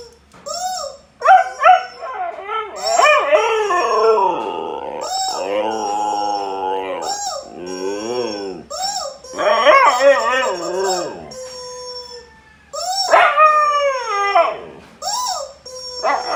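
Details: Pet Siberian Husky reacting to being annoyed with his new toy: loud, varied yowling howls that rise and fall, wavering and cracking, mixed with short yelping barks and brief pauses between outbursts.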